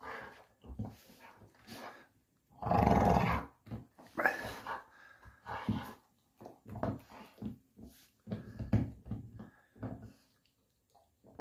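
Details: Puppy at play indoors making low rumbling growls and snuffling grunts in choppy bursts, one louder growl near the middle, mixed with thumps and soft whines in a small room.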